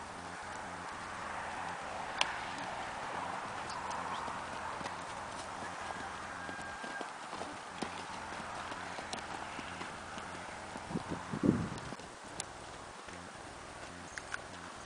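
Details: Tennessee Walking Horse in a natural rocking chair canter, soft rhythmic hoofbeats thudding under a steady broadband rush of movement noise, with a few sharper clicks and a brief louder knock near the end.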